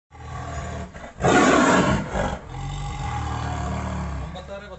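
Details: Tiger captured in Wayanad, heard the same day: a short, loud, rough roar bursts out after about a second and fades within a second, with a smaller second burst, framed by people talking and steady background rumble.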